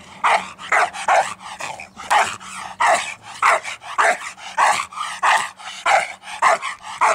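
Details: A dog barks insistently, with loud rough barks following each other roughly every half second, some doubled, over a steady low electrical hum.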